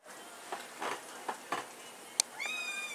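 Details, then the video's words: Kitten whining: after faint soft noises and a click, a thin, high, rising then slightly falling cry near the end of the recording. "Kitten jankt"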